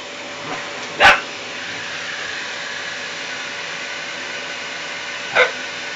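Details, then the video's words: Facing a vacuum cleaner, 11-week-old puppy Jeany gives two brief, high yapping barks about four seconds apart; the cleaner's constant broad whooshing drone fills the space between them. "Jeany und der Staubsauger"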